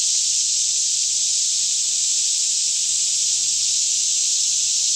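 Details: Forest cicada chorus near Franklin, Kentucky, recorded in stereo around 10am while the air was fairly still; a uniform high-pitched buzzing hiss fills the whole stretch, steady in loudness, over a faint low hum.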